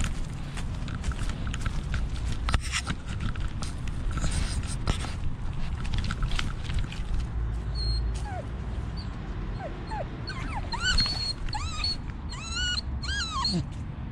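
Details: Dog wearing a GoPro while encountering squirrels in a park: several high, whining whimpers rising and falling in quick succession near the end, over steady low rumble from movement and wind.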